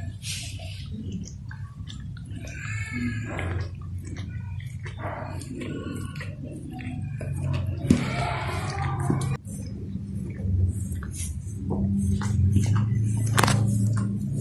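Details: Golden Retriever licking and grooming a chicken indoors in a small room, wet slurping and lapping sounds in quick irregular runs, with soft clicks and a low hum beneath.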